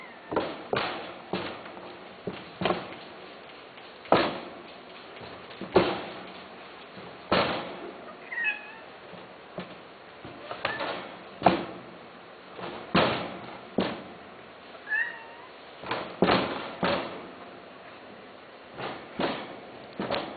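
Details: Male cats kept for mating give two brief, high, rising-then-falling meows, spaced several seconds apart, amid loud, regular thumping knocks about every second.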